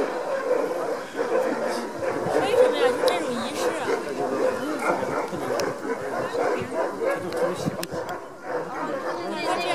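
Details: Alaskan huskies, sled dogs at a sled dog demo in Denali National Park, Alaska, eager to reach their harnesses; a dense chorus of overlapping excited yelps and barks, with people talking throughout.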